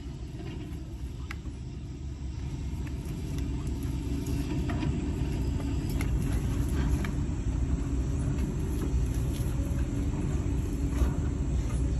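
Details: A continuous low vehicle-like rumble with scattered faint knocks and wind noise, and no clear animal voice.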